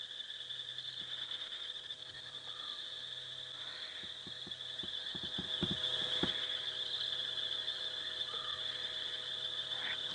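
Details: A deafening night chorus of rain frogs at about 9 PM on 20 September 2016 on a game reserve safari drive, their high, steady trilling merging into an unbroken, ringing drone.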